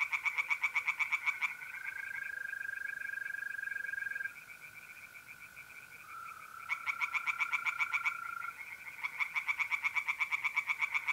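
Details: Night chorus of tree frogs in a pond in north-east Italy in mid-April. Bursts of rapid, rasping pulses come and go, with quieter stretches between them, while mole crickets hold a continuous high trill underneath.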